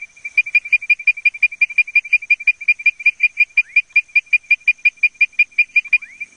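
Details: Leptodactylus mystacinus advertisement call, a fast, even string of short whistled notes nearly three per second throughout, some with faint sliding sweeps beneath, set against a constant thin high tone.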